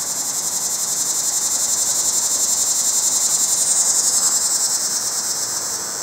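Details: Mating call of a cicada up in a pear tree: a loud, high-pitched continuous buzz throbbing in rapid regular pulses, about four per second, with no other clear sounds.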